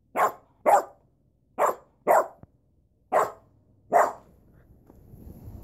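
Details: A dog barks six times in sharp, loud bursts, mostly in pairs about half a second apart, with short pauses between the pairs, then fades into a faint low rustle.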